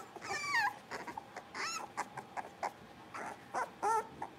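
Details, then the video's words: Playing Cavalier King Charles Spaniel puppies, blenheim-coloured littermates in an indoor pen, give a few thin, high yips with ringing overtones between short, quieter squeaks, against a low background hiss. "Cavalier Puppies Livestream: Playing, Barking, and Learning"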